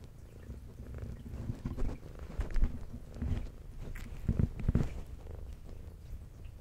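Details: Brown tabby domestic cat with white underside, adopted at two years old, purring while eating indoors; a steady low rumbling purr runs throughout, broken by louder chewing and crunching clicks around two and a half and four and a half seconds.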